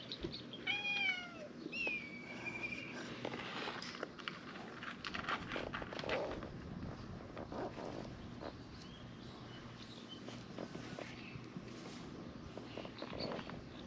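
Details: Stray cats gathering in large numbers around a seated person in a back alley of a fishing town; a few clear, high, falling meows near the start, then soft rustling, shuffling and faint background noise.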